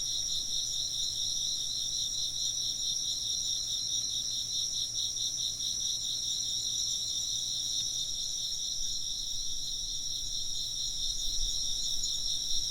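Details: Many insects trill and chirp together in a shrill, steady chorus of pulsing high notes, joined near the end by a few soft low thumps.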